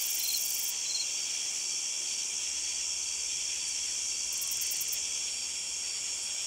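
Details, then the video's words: Long-spurred meadow katydid song: a steady high, hissing buzz with soft ticks near the start and a brief rattling burst of higher ticks late in the clip. "Long-spurred Meadow Katydid Song ID"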